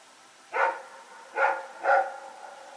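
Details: Barking at night at Pyrga, September 21, 2018, from Rex and a companion dog running around. Three loud, resonant barks, the last two close together, over a faint steady background hiss.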